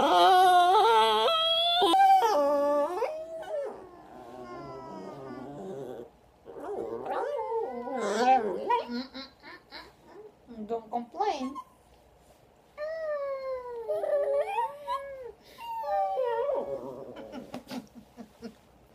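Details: Lucky, a chihuahua basenji mix, crying with drawn-out wavering whines and yodel-like howls that rise and fall in pitch, broken by short pauses.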